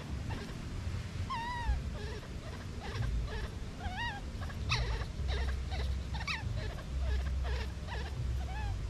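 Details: Separated from its mother, a baby monkey whimpers in short arched, high whining cries, several in quick succession over nine seconds, mixed with faint clicks and a steady low rumbling background.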